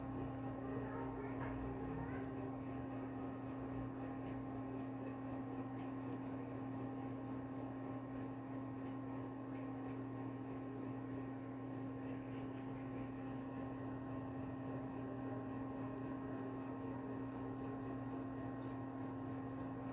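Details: Crickets heard as a sleep sound, said to also repel mice: steady high chirps repeating roughly three to four per second for a long stretch, one brief pause midway, over a continuous low electrical hum.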